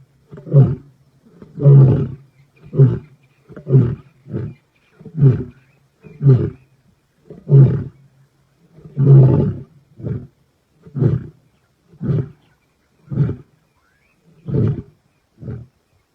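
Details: Wild male lion at Black Dam, Kruger, South Africa, 14 November 2025, roaring: a series of deep grunting roars, about fifteen pulses, spaced roughly one second apart and slowing and fading toward the end, with a low hum beneath the early calls.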